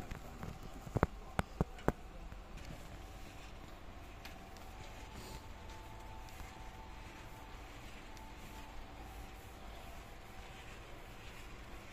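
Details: A few sharp clicks early on, then a quiet steady hum with faint outdoor background noise and no animal voice.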